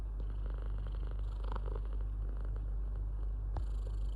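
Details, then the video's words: Cat giving a deep, unbroken purr, a low vibrating rumble with a brief sharp click near the end. "Beautiful sound of purring and yawning"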